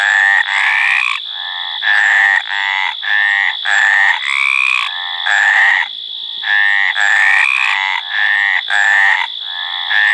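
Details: Calling male Mediterranean tree frog in mating season, repeating drawn-out, buzzy croaks of even length with a slight upward bend, broken by short pauses and one longer gap, a continuous faint high tone behind.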